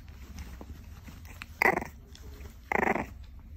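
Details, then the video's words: A two-month-old French Bulldog puppy at its first playtime on the couch lets out two short, rasping, growly barks about a second apart, amid soft breathing and low room noise. "Cute, Grumpy, and Full of Barks! Our 2-Month-Old Frenchie."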